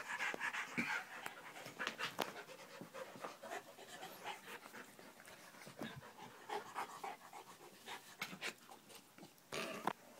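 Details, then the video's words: Several dogs having a play fight indoors at home: fast, uneven panting at roughly three breaths a second, broken by sharp clicks and bumps of scuffling bodies. "Dog play"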